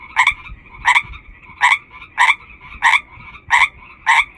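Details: Frog from a large chorus calling with full force, giving loud, harsh croaks about every two-thirds of a second, seven in a row, over a faint steady background chorus.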